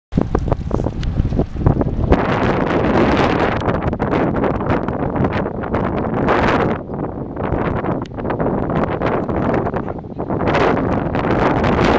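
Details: Strong wind buffeting the microphone outdoors in rural open country, a continuous rushing roar that swells and eases, with no animal calls audible.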